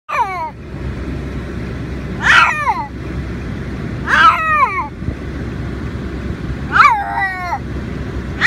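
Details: Gigi, a Siamese cat, screams in her carry bag on the way to the vet, voicing her distaste. Five loud, drawn-out yowls with falling pitch come roughly every two seconds over the steady low rumble of a moving vehicle.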